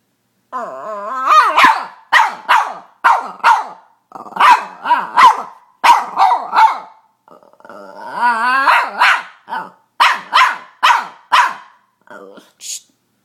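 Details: A female Boston Terrier pet barking at home. It opens with a whiny yelp, then gives steady bursts of harsh barks in twos and threes. A drawn-out squealing whine comes midway, followed by more barks and a final high squeak.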